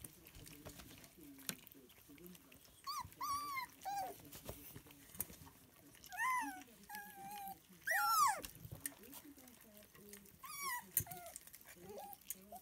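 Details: Lancashire Heeler puppies eating scrambled duck eggs for breakfast, giving high rising-and-falling whines and squeals in short bursts among chewing and lapping noises, with a person talking quietly in the background.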